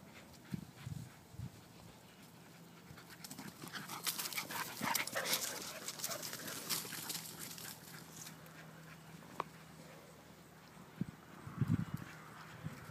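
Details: Yorkshire Terrier playing against a pair of Soft-coated Wheaten Terriers; short low growly bursts near the start and end, a noisy scramble of panting and paws in between, faint steady hum.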